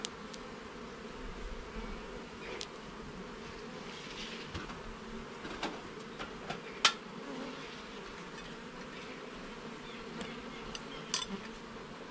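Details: Honey bees keep up a constant droning hum as their garden hive is inspected, with sharp knocks and clicks from frames being handled scattered throughout.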